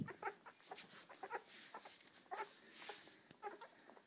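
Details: Nursing English Springer Spaniel pups, seven in the litter with mother Poppy, make thin whimpering squeaks in scattered bursts, with soft rustling and suckling noises between.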